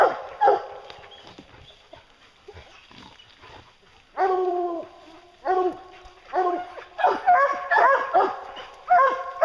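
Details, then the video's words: Hounds bay during a bear hunt: scattered barks in the first half, then a run of loud, ringing bawls from about four seconds on, each with stacked harmonics, roughly two per second. A man's voice is faint between the calls. "Bear Hunting with Hounds"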